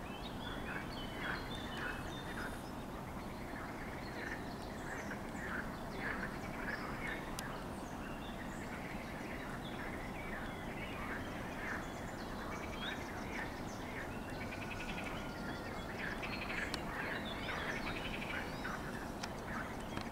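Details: On 15 June 2023, a chorus of water frogs croaks with rapid quacking, rattling calls overlapping against a steady outdoor hiss, alongside a common redstart's contact call.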